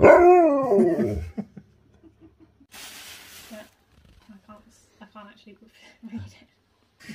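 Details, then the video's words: Excited Siberian Husky, impatient to go outside and play, ends a wavering howl in the first second, followed by a burst of hiss, then scattered short soft yips and noises. "Husky's can't wait to get outside and Play!"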